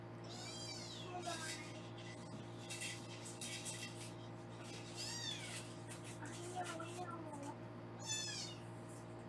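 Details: Kittens in a Los Angeles foster room during weighing: repeated high, squeaky mews at irregular intervals, mixed with a woman talking and a low constant hum.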